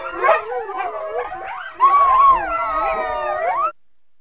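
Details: Coyote (Canis latrans), howls and yips.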